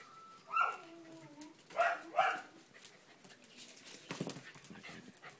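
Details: Blue merle Border Collie, a male puppy four months old: a high sliding whine early on, then two short, sharp yelping whimpers close together about a second later, followed by quieter rustling and background noise.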